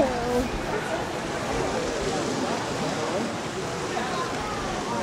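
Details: A captive beluga whale at Mystic Aquarium, Connecticut, in April, gives wavering, speech-like warbles and murmurs over steady rushing water.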